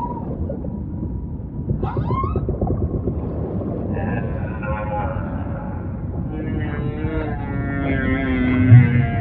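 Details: Singing humpback whale: a short rising whoop early on, then layered sustained tonal moans with wavering overtones that build toward the end, over deep rumbling ocean ambience.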